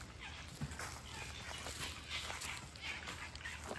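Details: Red foxes in a sanctuary enclosure give harsh, scratchy, overlapping calls in short bursts, worked up before being fed treats hiding heartworm medicine.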